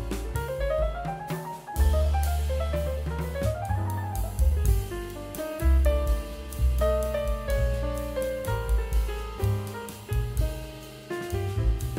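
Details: Lively jazz band music with piano runs, drum kit and cymbals throughout, no animal sound present.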